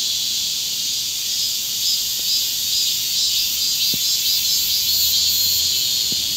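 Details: Chorus of cicadas in a hot Korean summer, a loud continuous shrill buzz with slight pulsing in the upper band, a few soft clicks below.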